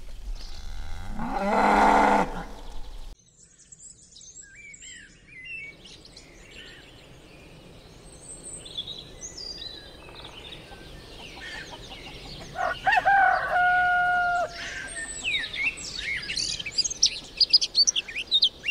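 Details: Cattle, a bull and a cow, giving one loud, drawn-out harmonic moo near the start. A long quiet stretch follows, then chirping and whistled notes from other birds fill the rest, with some outdoor background noise.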